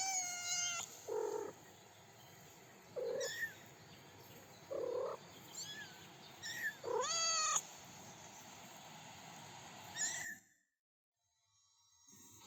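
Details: Three-week-old kittens with their mother outdoors on grass with daisies, taking first steps; several high thin meows, some rising and falling, scattered across the first ten seconds, then near silence.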